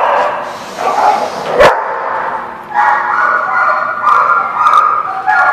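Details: Several dogs heard on December 30, 2016, giving a steady mix of high, tonal yips, whines and short barks that overlap continuously, with one sharp loud bark standing out early on.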